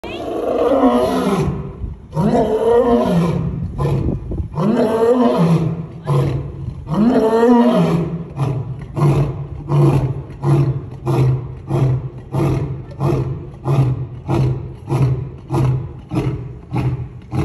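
An African lion gives three long, deep moaning roars, then a run of short grunts that slowly fade.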